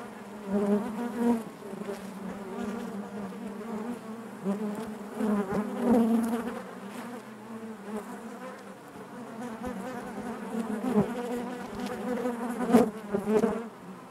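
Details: Inside a honey bee hive, a continuous layered hum of many bees, rich in stacked harmonics, rising and falling in loudness with short sharp peaks as single bees buzz nearby, especially around twelve to thirteen seconds.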